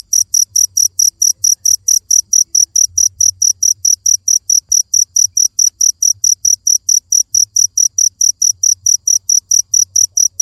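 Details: A long unbroken run of cricket chirps, high and piercing, pulsing steadily about four times a second with little variation, a soft low hum beneath.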